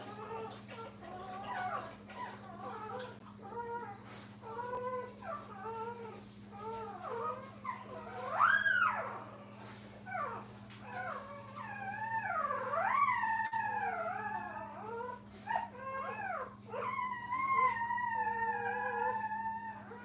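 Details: Brittany puppies with their mother indoors at a kennel: a busy run of high, wavering whines and squeals, many rising and falling in pitch, overlapping almost continuously, over a steady low electrical hum.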